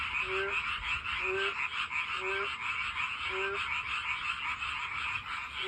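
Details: Along a walking path, a frog croaks to find a mate: four clear rising calls about one second apart, then a pause, all over an unbroken high chorus of other frogs.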